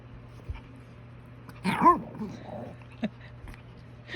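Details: Shih Tzu refusing a bath at night, giving one short whimpering whine that rises and then falls, set against quiet room tone with a few soft clicks and knocks.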